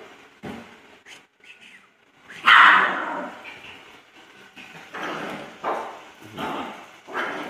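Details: Poodle barking in scattered sharp yaps, one loud bark standing out midway and several softer ones following at irregular intervals over a quiet room background.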